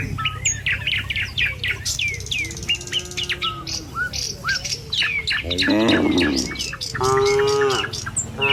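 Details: Tame cattle herd moving along a village road toward the pen in the morning; sharp, varied bird chirps dominate at first, then two low, harmonic cattle moos follow near the end.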